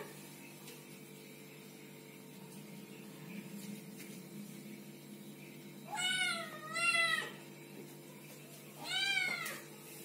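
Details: Kittens meowing: a quiet start with faint background hum, then three clear high mews near the end, the first two close together and the last a second later.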